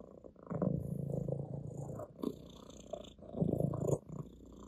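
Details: Orange tabby cat Ginger purrs on a person's lap, a steady low vibrating rumble rising into two louder bursts with quieter breathing gaps between them, slight fabric rustle in the background.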